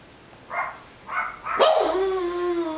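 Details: Small dog at a Long Island dog boarding home, which likes to howl: three short yips or barks, then a sustained, gradually falling howl with a clear tonal pitch that lasts about a second.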